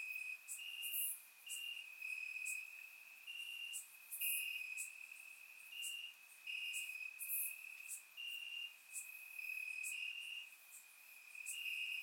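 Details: Crickets chirping among grass at night in summer warmth, Bulgaria; a dense, unbroken high trill with regular brighter bursts from several insects and scattered sharp high-pitched clicks.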